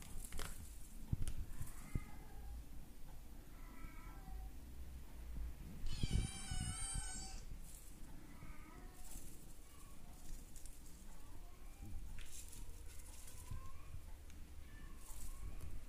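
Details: A male Maine Coon kitten, brown classic tabby and white, born 9 March and recorded 2 June, gives thin, high meows repeated at intervals, with one louder squealing cry.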